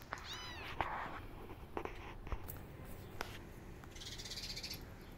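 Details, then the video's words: Five kittens forcing an upset mama cat to feed them; a high arching mew opens, followed by soft scattered cries, rustling and a hissing burst of noise near the end. "5 Kittens Forcing Mama Cat To Feed Them And She's Upset"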